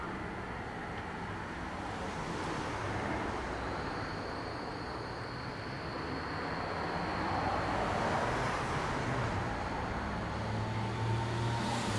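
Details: Constant roar of road traffic with a sustained mechanical whine and a swelling engine noise toward the end.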